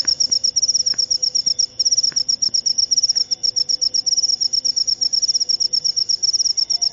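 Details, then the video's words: Jangkrik upo cricket pouring out shrill, high-pitched pulses in quick, even succession with one short break near 2 seconds. Faint ticks and a low murmur sound in the background. "Jangkrik upo"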